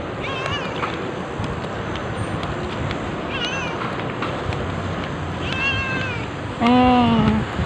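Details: Cat in Amoranto Park, recorded on an OPPO A5s phone during a walk: a few faint high meows early on, then one loud, drawn-out meow near the end that slides slightly downward, over steady outdoor urban background noise.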